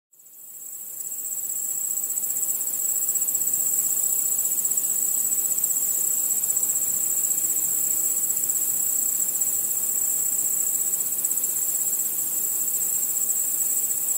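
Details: Crickets chirping at night: a single very high, steady, unbroken trill that fades in over the first two seconds and then holds level, with a faint hiss underneath and no other clear sounds.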